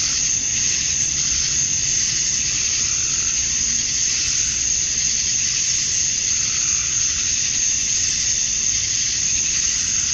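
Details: Male cicadas on a summer evening at dusk in Georgia, USA, chirping for females: a constant piercing hiss-like drone, waxing and waning subtly every few seconds, steady throughout with faint low background noise.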